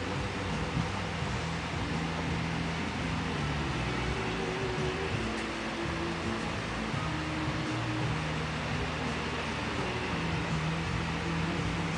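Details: A steady mechanical hum, like a fan or motor, fills the recording with no animal sound.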